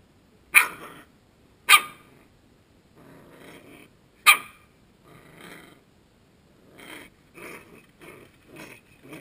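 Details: Suki, a Coton de Tulear puppy, in a playful attacking and dancing performance: three sharp, bright barks in quick succession, then a run of softer, short growling grunts.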